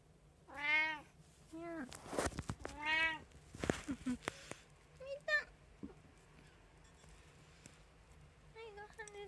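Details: At feeding time on 6 January 2024, a household cat, one of three including an Abyssinian, a Munchkin and a tabby, gives two loud drawn-out meows, then softer short chirping mews, while a woman talks and clatters and thumps sound.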